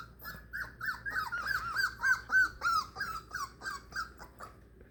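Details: Separated from their mother for the first time, four-week-old Beagle puppies cry in a steady series of short, high, arched whimpers, about three or four per second, rising and falling in loudness over five seconds.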